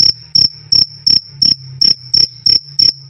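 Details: Crisp krik-krik of a cricket, used as tutor sound for songbirds and as night-time background, with bright high-pitched pulses close to three per second against a quiet low-frequency hum.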